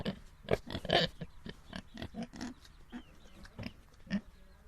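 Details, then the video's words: Little domestic pigs give rapid, rough grunts and snorts, some louder and harsher near the start, then softer, evenly spaced oinks toward the end. "Sounds of pigs"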